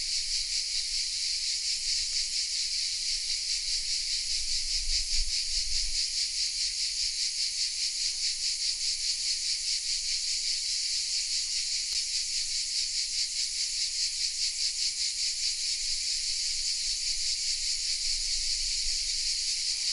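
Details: Massed cicadas singing in the oak trees of a small southern French village, Vézénobres, recorded on a Sony RX10 M3: relentless high buzzing with regular rapid pulsation, a couple of faint clicks and low rumbles.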